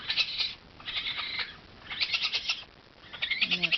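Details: Three orphaned newborn raccoons, two females and one male, abandoned by their mother in a warehouse and taken in from Culver City Animal Control, crawling and calling for mom: high, chittering squeals in four short bursts roughly every second.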